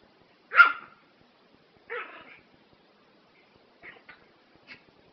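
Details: One loud, sharp bark from a Prague Ratter, then a softer, rougher second bark, followed by a few faint clicks and taps in an otherwise quiet room.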